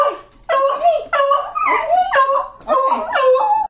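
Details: A beagle gives a string of short, wavering howls, each rising and bending in pitch, after being asked about going to Grandma's.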